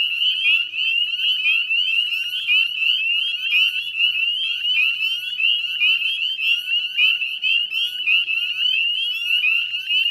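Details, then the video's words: Northern spring peepers calling in a dense chorus at dusk, 18 May 2020, by the Chezzetcook salt marsh in West Chezzetcook, Nova Scotia, Canada; overlapping high, rising peeps pile into a continuous shrill wall of sound. "Northern Spring Peeper Chorus"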